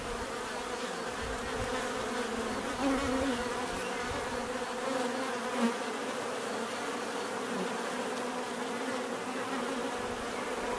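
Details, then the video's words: Steady swarm hum from numerous bees, a continuous low drone rich in overtones, swelling briefly near three and near six seconds as individual insects fly past closer; nothing else audible besides the buzzing. "bees therapy relaxing natural buzzing sound"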